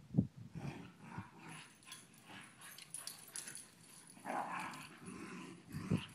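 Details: Pet dogs meeting to check they still get along before a sleep-over: low short growls and soft yips and whimpers in bursts, with a louder grumble near the start and the end, quiet room background.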